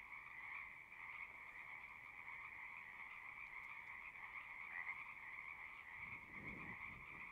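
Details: Chorus of frogs at a pasture pond, captured with a Zoom recorder, forms an unbroken pulsing trill in two layered pitches, one nearer call briefly louder, with a short low rumble near the end.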